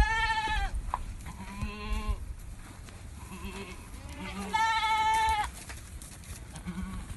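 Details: Ardi goats, a buck with a young female kid under a month old, kept west of Al Rass: several wavering, nasal bleats, some high and drawn out, others short and low, repeated across seven seconds over low background rumble.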